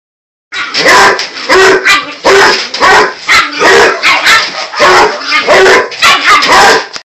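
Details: A Basset Hound gives loud, rough barks in rapid bursts roughly every half second at a 9-week-old Bull Terrier puppy, whose sharper, higher barks answer back.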